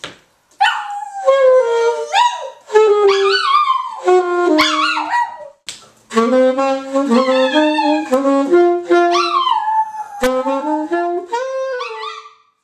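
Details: Rio the dog singing free-form jazz: a string of tonal, wavering howls, each phrase starting high and sliding down in pitch, broken by short pauses, with several longer held notes that waver near the end.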